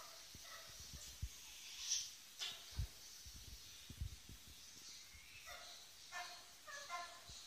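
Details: Two ferret kits, Lily and Django, about eight weeks old, playing indoors on their first evening in a new home; short, quiet, harmonic squeaks come in scattered bursts, mixed with soft thumps and scuffling from their movement.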